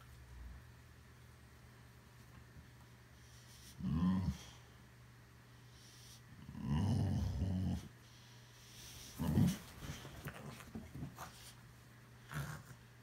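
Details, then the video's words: Boxer dog indoors giving low, rumbling growls in three main bursts about two to three seconds apart, then a few shorter grumbles, with quiet room background between. "Boxer Dog makes Funny Sounds"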